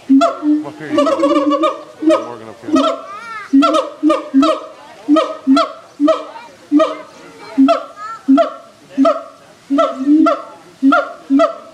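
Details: Siamangs at Erie Zoo, with a baby present, give loud, hoarse, honking hoots repeated in a steady rhythm, some rising and sliding upward, audible throughout the zoo.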